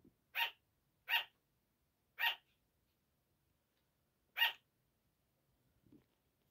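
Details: Sugar gliders giving their early-morning bark at 5 am: three quick, sharp, high barks in a row, a pause, then one more, followed by a soft low rustle.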